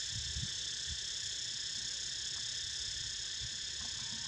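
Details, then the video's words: Steady shrill cicada buzzing continues while a pet snoozes, an even sizzling drone throughout, with scattered soft low knocks and rumble beneath. "Snoozing To The Sound Of CICADAS!!"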